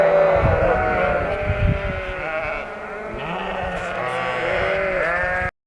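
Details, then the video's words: Shropshire sheep, recently lambed and moved into a field opposite a Shropshire home; loud continuous overlapping bleats from several animals, mixing long wavering calls and deeper short ones, ending abruptly. "Shropshire sheep are noisy after lambing"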